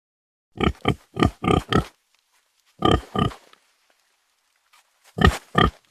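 A pig gives short, harsh oinking grunts in quick bursts of two to four.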